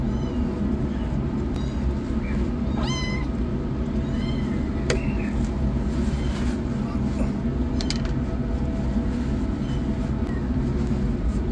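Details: Rescued kittens, the yellow one running for food and the black one starting treatment, let out short scattered meows, one sharp harmonic cry standing out, against a dense broadband rumbling background.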